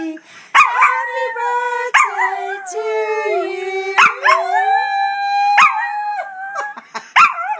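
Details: Pomeranian dog joining in as people sing happy birthday: repeated bursts of wobbling, rising-and-falling howls roughly every one to two seconds, sharp yip-like onsets, with human singing and voices beneath.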